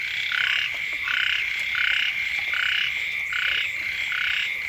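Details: Chorus of frogs near a home at the start of the rainy season, with bursts of buzzy, grating croaks roughly every second from overlapping callers over a constant shrill background hum.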